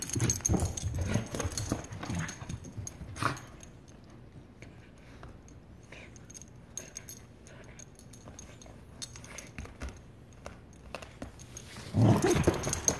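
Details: Aussiedoodle named Maisy, angry at her toy while playing with it; low rumbling growls that are loudest at the start and again near the end, with quieter scuffling and toy noises in between.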